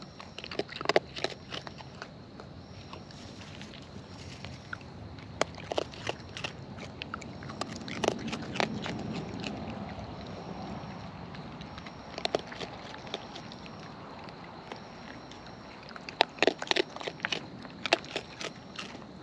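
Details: Raccoons in the wild feeding up close: sporadic crisp bites and crunching clicks, sometimes in short clusters, spread over a soft background hiss.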